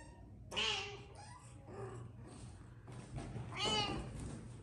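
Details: Persian cat mother with her tiny kittens, indoors in a small room: two clear harmonic meows about three seconds apart, each rising then falling, with faint quieter mews between and a low background hum.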